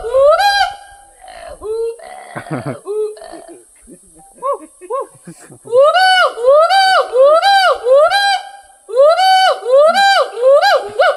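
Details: Hoolock gibbon calling: after a brief scream and laughter, loud rising hooting notes repeat roughly once a second in bursts, each note sweeping up then levelling, with a short pause between bouts.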